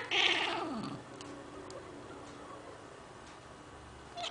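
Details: Domestic cat, indoors, reacting to a bird it has seen with a lamb-like bleat: one loud, harsh, strained cry in the first second that slides downward, followed by a quiet room.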